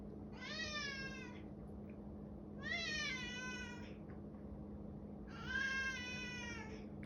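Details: Male domestic cat meowing repeatedly indoors, said to have kept it up for five minutes; three drawn-out, wavering meows roughly two and a half seconds apart, each rising then falling, over a low steady hum.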